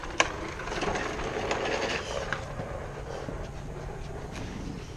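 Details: Continuous rubbing and rumbling noise with a few soft knocks fills the recording, and no animal call stands out.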